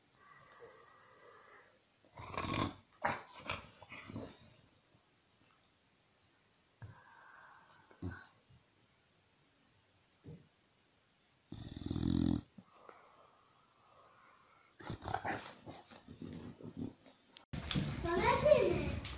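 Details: Bulldog, in a compilation of funny bulldog moments, giving snorting, wheezy grunts and short tonal whines in separate bursts with quiet gaps between them, ending in a loud, noisy rush of sound.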